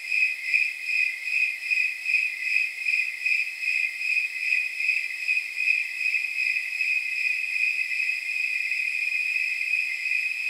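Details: Snowy tree crickets calling at night, around 79 degrees: crisp rhythmic chirps about two per second stand out at first, then blur into a more continuous high ringing trill as the pulses overlap.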